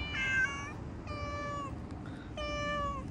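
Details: Domestic cat outdoors giving three drawn-out, clear meows, the first higher and brighter, the next two lower and falling at the end, spaced about a second apart over low background rumble.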